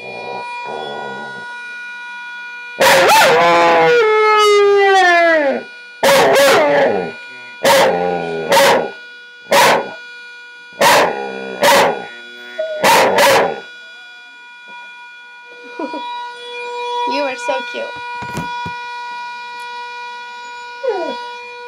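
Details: A two-year-old Border Collie howls at the morning sound of a teapot: a long, wavering howl sliding downward, then a string of sharp yelping barks.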